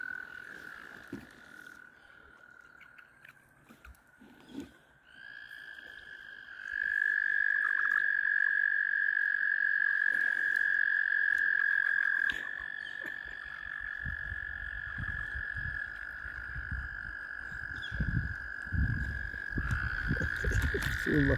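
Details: Mating frogs crowd all around a kayak at egg-laying time. Their long, unbroken high trill begins faintly, then swells loud and steady from about seven seconds, with overlapping callers shifting pitch slightly, over low knocks of water and handling.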